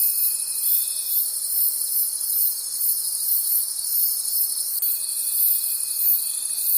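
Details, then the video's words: Many crickets calling at night in a forest: a dense, shimmering high chorus pulsing about twice a second, with a steady thin whistle-like tone in the opening second and again from the fifth second onward. "Forest Sounds and Cricket Conversations at Night"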